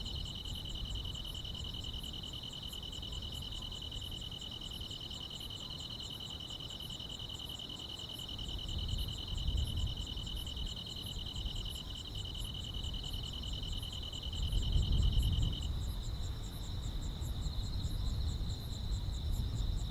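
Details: Grass insects calling on a summer night in the countryside, a continuous shrill trill that stops partway while rapid high pulsed chirps carry on, with bursts of deep low rumbling swelling midway and near the end.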